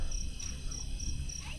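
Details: Crickets at night at a mountain campsite, HD Mountainville, Tuba, Benguet, Philippines: short high-pitched chirps pulsing about three times a second over a constant low rumble of distant Marcos Highway traffic.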